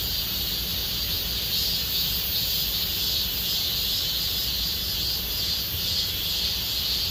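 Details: Deep-summer cicada song in Gomsol Nuri Forest, Sihwa district: a sustained shrill, hissing drone at high pitch, slightly wavering in strength, with quiet low-frequency background noise throughout.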